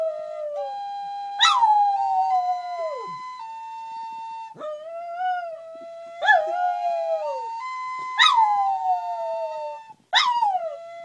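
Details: Wire-haired terrier howling with a flute being played, steady stepped flute notes carrying throughout while the dog breaks in about every two seconds with sharp yelping onsets that slide into falling, wavering howls.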